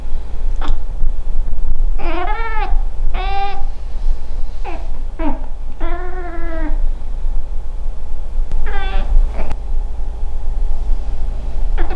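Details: Female Scottish Fold cat indoors, chattering and meowing at a fly; several short harmonic meows and chirps, some rising then falling, scattered across the recording over a steady low hum.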